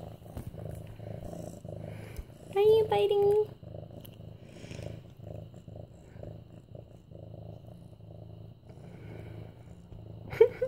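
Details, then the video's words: Mufasa, a medium-hair orange tabby tomcat almost 8 months old, purring while being petted indoors on September 28, 2015; a steady low rumbling purr pulses throughout, with a woman's voice breaking in briefly near the start and again at the end. "Purring Mufasa"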